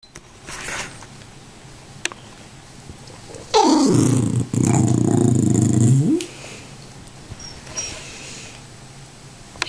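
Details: Zelda, a pet Tibetan Terrier, indoors and begging for popcorn: one long, loud, low grumbling growl-like vocalization lasting about two and a half seconds mid-clip. Quiet room noise surrounds it.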